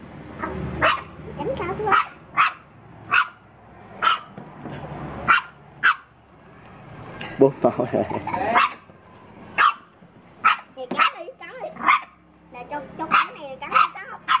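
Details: Dog reacting to a stranger, barking repeatedly in short bursts while people talk nearby, with voices overlapping the barks around the middle.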